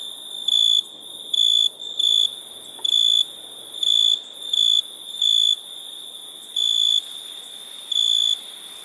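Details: Crickets at night: loud, high, even trilled bursts about half a second long, repeated with uneven gaps, above a constant high insect drone.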